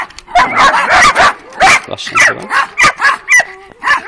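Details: Working-type Kuvasz puppies, 12 weeks old, on their first street walk on 28 April 2017, including the females Béta and Pszí; rapid high yapping barks in dense bursts about twice per second, with a brief thin whine near the end.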